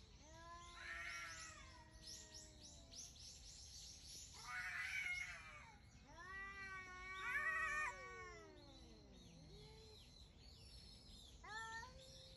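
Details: Two wild cats early in the morning on 18 November 2021, trading drawn-out wavering yowls and meows, rising and falling in long harmonic-rich wails with short pauses between, faint background hiss.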